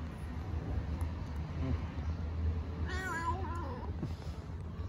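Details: Mother cat talking to her kittens, probably on an Istanbul street: a single wavering, harmonic meow midway, preceded by a woman's soft Turkish encouragement and constant low background hum.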